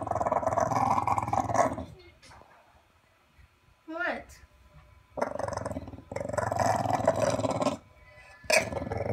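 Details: Bailey the bulldog growling because he is not happy: rough, rumbling bursts of about two seconds with long gaps between them, one short rising whine, and a person talking to him.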